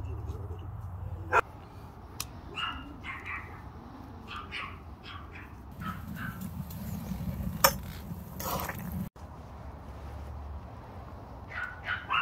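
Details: Dogs outdoors while food is cooked over an open fire. Several short, high, strained yips or whimpers come in quick bursts, then a quieter gap with faint crackling and clatter of outdoor cooking in the background.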